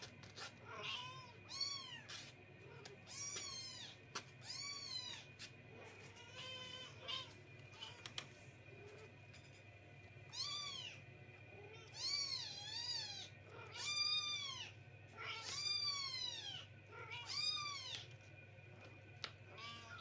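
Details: Kittens crying through the night so their owners cannot sleep: a long run of loud, wavering meows, each bending up then down, coming every few seconds and sometimes overlapping, with a constant low hum behind.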